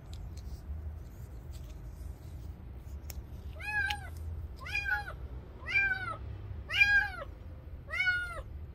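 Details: Young stray cat crying: five clear, arched meows, spaced about a second apart, each loud and rich in overtones, over a low rumbling background.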